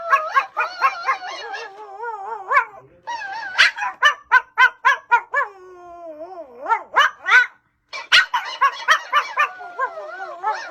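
A small Pomeranian barks in quick, shrill bursts, several a second, with strong harmonics. Between the yaps it slides into wavering, whiny howls that rise and fall in pitch.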